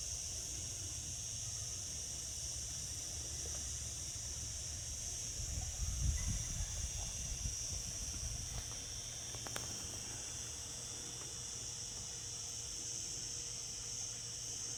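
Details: Summer cicada chorus, a continuous high, hissing drone that never pauses, over a low rumble that swells briefly around the middle.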